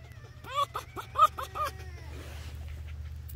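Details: Pet fox Finnegan chatting as someone scratches him: a burst of five quick, tonal chirps over about a second, followed by soft rustling and a quiet room.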